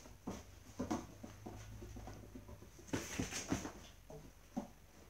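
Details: Dobermann puppies playing together in their kennel house, giving short low grunts and soft yips amid scuffling paws and knocks on hard flooring, with a steady background hum.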